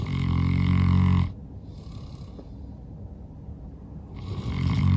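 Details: Norman, a St. Bernard worn out after a long day of play outdoors, snores very loudly in his sleep: a deep rumbling inhale, a softer breath out, then the next snore beginning.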